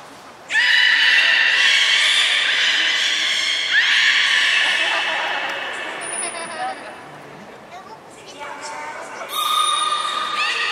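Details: Belugas Taanya, Nana, Mirai and Niko training at Port of Nagoya Public Aquarium, 11 July 2020: two long, buzzy, harmonic squeals follow one another, a brief piercing high tone cuts in, and another harmonic call closes it.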